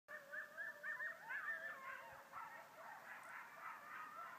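Two coyotes call at night with wavering, high-pitched yips and quavering howls that overlap.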